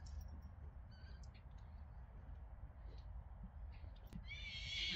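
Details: Friesian horse letting out a brief, high, wavering whinny with layered overtones in the final second, following several seconds of steady low rumbling background and faint scattered clicks.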